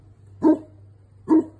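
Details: Newfoundland dog Phantom barking to protect his property as an Amazon delivery truck arrives: two deep, short barks about 0.85 seconds apart over a low steady hum.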